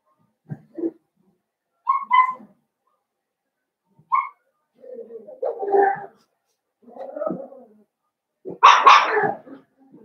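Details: Blenheim Cavalier King Charles Spaniel puppies from a litter of five born on New Year's to Paris and Spike, in an indoor puppy pen: scattered short yelps and whimpers with pauses between, ending in a louder, harsher yelp.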